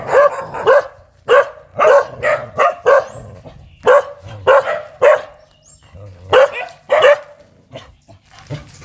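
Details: Fierce dog barking in clipped volleys of two or three sharp barks, roughly a hundred barks a minute at an uneven rhythm, short pauses between groups.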